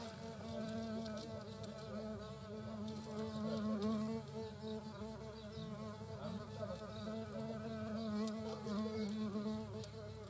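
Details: European hornet queen and workers at their nest in the Eifel: a steady, droning wing buzz with a fundamental near 200 and a stack of wavering harmonics, swelling and fading as the insects fly close, with faint clicks in the background.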